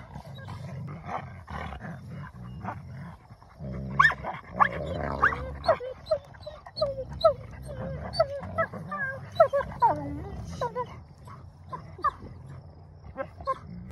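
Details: Mouthy wolfdogs growling and snarling during normal play mouthing, with low rumbling growls, rising whiny yelps and sharp snaps repeated through the middle, a person speaking at times.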